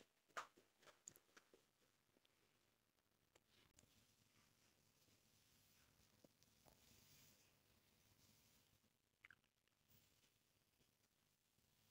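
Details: Quiet indoor handling noises, faint clicks and rustles, with no animal voice. A few sharp taps stand out early and near the end.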